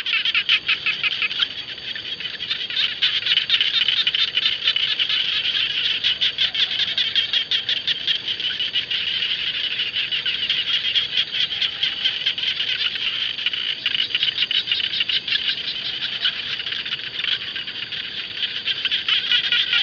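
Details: Frogs, called jana frogs locally, calling across rice fields: a dense, continuous chorus of fast high rasping pulses that runs unbroken for the whole stretch, with no other clear sounds.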